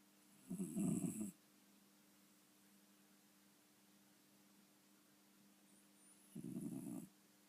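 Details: Domestic cat snoring: two loud, rough, rasping snores about six seconds apart, with near silence between breaths.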